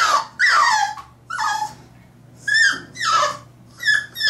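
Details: Three-month-old French Bulldog puppy fighting the bath tub indoors: a series of high, whining yelps, each sliding downward, in bursts about half a second long separated by short pauses, with a low steady hum beneath.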